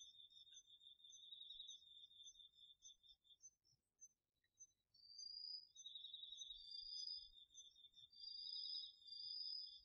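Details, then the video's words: Garden-field insects of autumn, crickets included, recorded at night with a DR-40X: a rapid high trill runs, pauses briefly around the middle, then returns joined by a higher, swelling trill in repeated bursts. "秋の虫の声 ASMRでおやすみなさい 〜虫の音を枕元で聞いてね〜 こおろぎ他"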